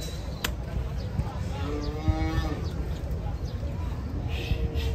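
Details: Agitated cow coming off a truck lets out one mid-length lowing moo partway through, tonal and slightly falling, over heavy low-frequency vehicle rumble and a sharp knock at the start.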